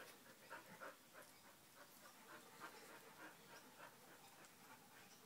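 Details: Two puppies, Shanti and Achilles, chatty at something they see or hear: quiet, rapid strings of short whiny yips and whimpers, several a second, some with a thin tonal edge, over a soft hiss.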